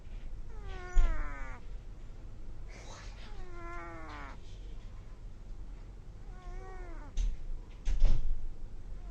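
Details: A baby cat snores in its sleep with three thin, squeaky, falling whistles spaced a few seconds apart, followed near the end by a couple of sharp knocks over a quiet low rumble.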